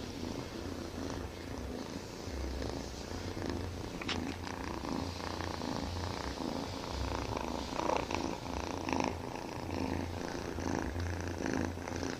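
A Siamese kitten purrs loudly, a deep rumbling vibration pulsing steadily in time with its breathing.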